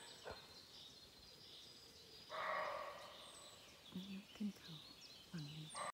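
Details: A wild deer in a forest gives one startling, loud, harsh, tonal cry lasting about a second, with softer voices and noises following.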